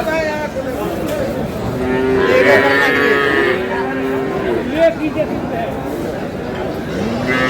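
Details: Cattle at the Aftabganj livestock market in Dinajpur, Bangladesh, where cows with calves are sold on a Tuesday; several drawn-out, tonal moos overlap, with a man talking and crowd noise throughout.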